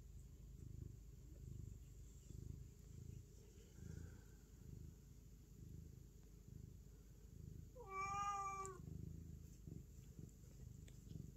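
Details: A cat gives a single meow lasting about a second, rich in harmonics and slightly arched in pitch, near the end. Low rumbling background noise runs throughout, with otherwise quiet stretches before and after.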